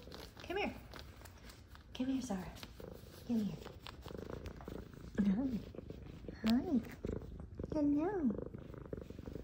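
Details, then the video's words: Two happy F2 Savannah cats being greeted by their owner indoors give about six short, rising-then-falling meows spaced a second or two apart, interleaved with a woman's gentle talking and soft purring. "Meows, Purrs, And Lovings From F2 Savannah Cats"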